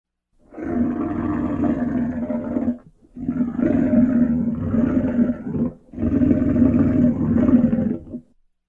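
A lion gives three long, deep, rumbling roars, each lasting over two seconds.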